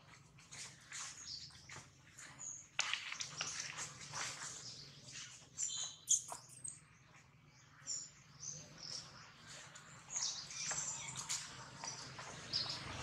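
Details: Baby monkey crying loudly after being bitten hard by another monkey: shrill, high, wavering squeals and shrieks in irregular bursts, over a low background hum.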